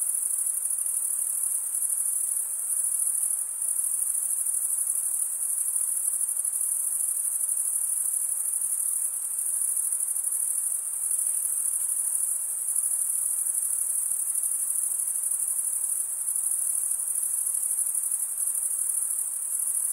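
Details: Male crickets chirp by wing stridulation, here merging into a seamless high, sizzling drone with gentle periodic pulsing and no pauses, nothing else audible beneath it.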